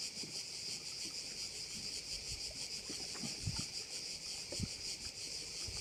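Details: Softer, distant-sounding cricket chorus on the Croatian island of Korčula beside a bay: an even, high, vibrating drone with rapid pulses, plus scattered low thumps and breezy noise.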